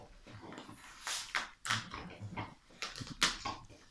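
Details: Rottweiler dog attacking and tearing at a Santa Claus toy around Christmas; short, rough, noisy snorting growl bursts about a second apart, mixed with rustling and scuffling of the toy.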